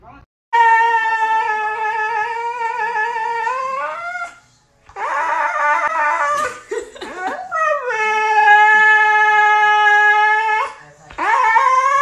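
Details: Siberian Husky giving long, sustained tonal howls with rich harmonics. Each note holds steady, then bends upward at its end. A brief break of rougher, noisier vocalizing falls in the middle.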